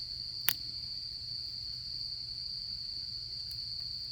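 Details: Autumn insect chorus at a solo campsite: a constant, thin high-pitched trill never pauses, while one loud campfire snap lands early and a softer crackle follows near the end.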